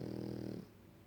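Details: Sleeping French Bulldog giving a loud, rattling, low buzzing snore for about half a second, which then drops off into quiet breathing.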